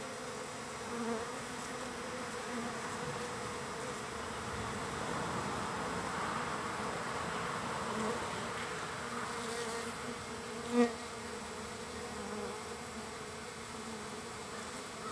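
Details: Crowd of wild bees visiting a feeder on day three of being fed, giving a constant layered drone that swells slightly mid-way, with a single brief click near the end.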